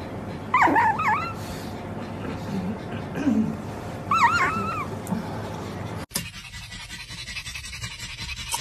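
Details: Pug puppies giving two short bursts of high, wavering whines, the first near the start and the second midway, over background music, followed by a sharp knock and a quieter stretch.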